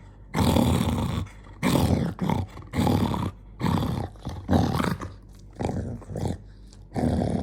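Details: Jonggi, a dog getting angry, lets out harsh, loud, breathy growling bursts in quick succession, some with a roaring edge, separated by short silences.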